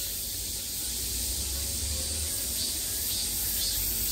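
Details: Summer cicada chorus surrounding the listener, a steady shrill high buzz without breaks, with a low rumbling hum underneath.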